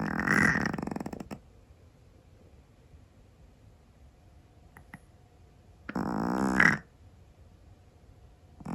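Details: Pet Scottish Fold cat snoring in its sleep: two harsh, gurgling, vibrating snores about a second long, separated by several seconds of near silence, inside a quiet home.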